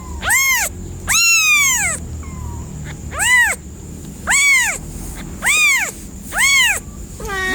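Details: Cat meowing in a series of about seven drawn-out, strongly tonal meows, each rising then falling, coming roughly once a second with short pauses between, over a faint steady high tone.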